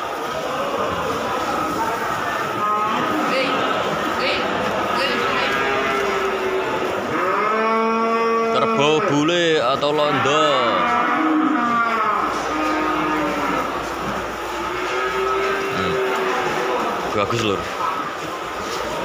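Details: White 'bule' or 'londo' water buffalo at the Pasar Hewan Kudus livestock market, Pasar Kliwon. Several drawn-out, harmonic moos rise and fall in the middle of the recording over a steady din of market chatter and crowd noise.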